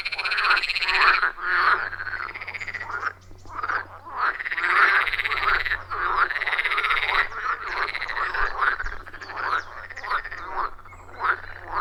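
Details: Loud chorus of wild frogs around a forest pond, recorded with an iPhone 14 Pro and Shure MV88+; dense overlapping croaks, rhythmic and nearly continuous, with brief lulls, no music or talking.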